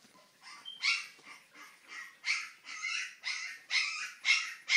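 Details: Two-week-old Siberian husky puppies, born 25 October 2011, just after opening their eyes: high, nasal whimpering yips in a steady series of about two per second, each short cry rising and falling, growing louder and squealier toward the end.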